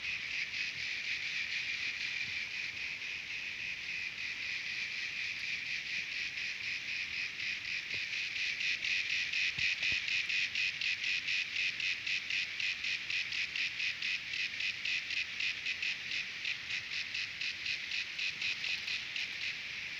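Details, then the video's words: Cicadas singing at Terek-Sai in Jalal-Abad, Kyrgyzstan: loud, continuous high-pitched buzzing broken into rapid regular pulses, about four per second, swelling slightly in the middle and staying strong to the end. "Певчие Цикады"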